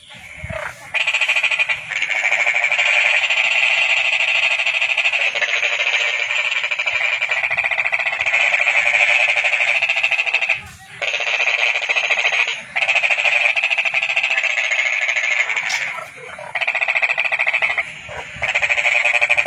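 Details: Toad calling in a steady, dense trilling stream that runs almost unbroken, with a few short breaks where the sound cuts out briefly before resuming at the same level.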